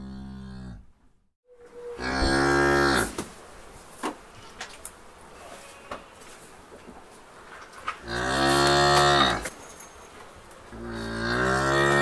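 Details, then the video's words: A cow lowing, with drawn-out, loud moos that swell and fade over a steady background hiss, plus a few brief knocks and clicks between calls. "Cow sound"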